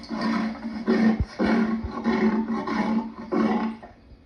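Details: Lion with a dense, continuous run of rough growling roars, rising and falling in short pulses about twice a second, faint clicks underneath.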